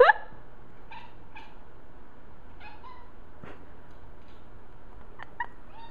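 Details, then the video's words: Domestic cat chasing a laser that goes high up the wall, making dolphin-like noises: short, squeaky chirps in quick bursts of two or three, repeated several times across six seconds in a quiet room. "My Cat Making Dolphin Noises"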